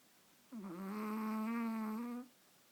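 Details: Snoring Chihuahua asleep while being held, taking an afternoon nap: a single steady, whistling, nasal snore holding one pitch for nearly two seconds, starting with a brief dip and ending abruptly, in a quiet room.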